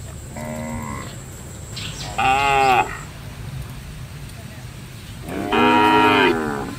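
A cow lows three times, each a drawn-out, harmonic-rich moo lasting under a second, the last two louder and fuller, over a low steady background hum.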